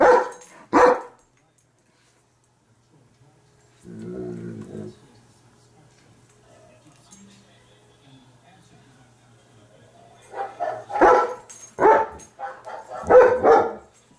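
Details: A female German Shepherd barking at her own video on TV gives loud, sharp barks in short bursts, with a low growl between them.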